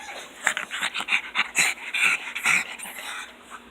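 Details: Two pugs greeting their owner home from work give a run of breathy, snuffling snorts mixed with thin, squeaky whimpers; the fawn pug is the main talker, and their noises include squeals, grunts and yodels.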